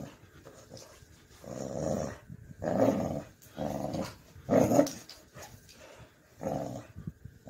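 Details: Excited Pit Bull growling while playing tug of war with a man on a bed indoors, rough throaty growls in bursts roughly every second or two, separated by short pauses.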